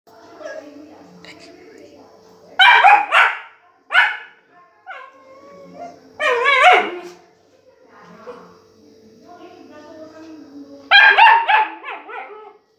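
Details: Pet dog barking to beg for pomegranate: loud, harmonic barks and yips in short bursts near 3, 4, 6.5 and 11–12 seconds, separated by quieter stretches with faint voices and a steady hum.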